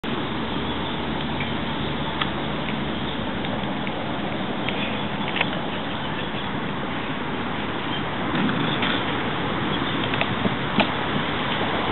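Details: Dense, muffled rumble like passing traffic or wind, with scattered soft taps and crackles throughout and no animal voice.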